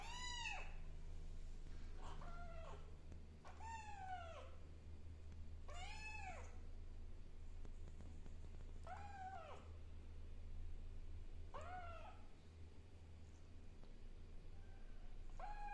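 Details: Kittens settling into a new environment meow repeatedly, each call a short arched cry starting high and falling, about six clear meows over sixteen seconds amid a steady low hum.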